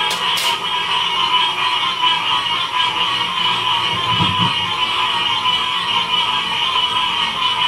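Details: Frog chorus recorded in Ocean Springs, Mississippi, in 2016: a dense, unbroken wall of overlapping trilling calls in two pitch bands, one middle and one high. Two sharp clicks open the recording and a brief low thump comes near four seconds.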